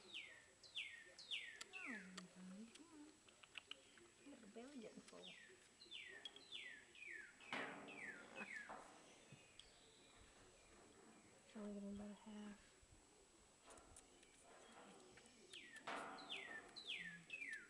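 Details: Baby squirrels being fed by hand give high, thin squeaks that slide downward, repeated in quick bursts. Some are more drawn out. Human voices talk over them, and a low belly gurgle shows up now and then.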